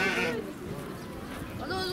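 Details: Baby sheep at Nasu Animal Kingdom, Tochigi, Japan, 29 April 2018: a short, harmonic-rich bleat opens the clip and a fainter one comes near the end, with visitors talking in the background.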